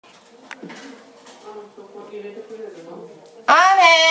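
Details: Pet cat Ame, angry after being left alone to sleep, bursts into a loud, arching, strongly harmonic meow at the end, following several seconds of faint indoor murmuring.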